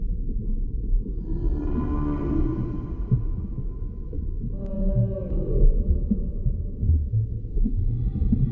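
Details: Humpback whale underwater: a drawn-out harmonic cry early on, then a sharper rising note near the middle, all above heavy low rumbling water noise.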